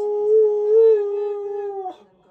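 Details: Siberian Husky howling in protest, angry at its owner for talking over it: one steady, tonal, held note of about two seconds with a slight lift in the middle, falling and breaking off abruptly at the end.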